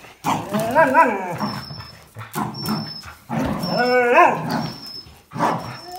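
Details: Dogs, a Jack Russell Terrier and two Border Collies (one black and white, one red and white), tussle over a towel in a tug game, giving rough harmonic growls and whining yelps in bursts separated by short pauses.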